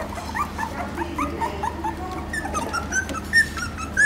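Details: A nursing litter of Phu Quoc Ridgeback puppies in Vietnam squirms during feeding. Softer, scattered squeaky whines overlap one another, with a few sharper high squeals near the end over a low background hum.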